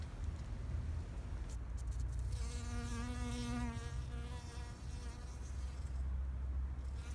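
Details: A bee in a spring flower garden in Japan, 2021, buzzes past, its low droning hum swelling and fading over a steady background rumble.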